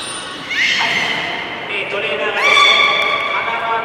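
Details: Beluga performing in public training at Port of Nagoya Public Aquarium, March 24, 2018, 16:30 session: a short high whistle, then a series of overlapping rising squeals and tonal harmonic calls, brightening again toward the end.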